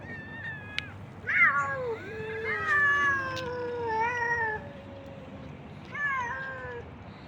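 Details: Stray cats and kittens being fed outdoors by a man, several overlapping meows with falling, drawn-out tones, some rising then sliding down, in quick succession, with steady low background rumble.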